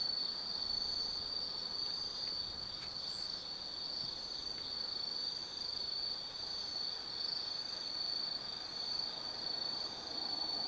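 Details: Autumn night insects calling in a Japanese hillside forest at Tsukimi Forest, Gifu, overlooking the Nobi Plain: a continuous shrill high trill dominates, with a few brief faint clicks in the background.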